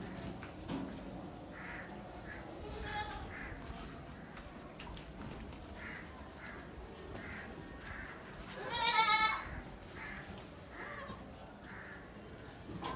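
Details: Gulabi goat, newborn kids on a farm: one loud, high, quavering bleat near the end, amid soft repeated chirpy notes and low background hum.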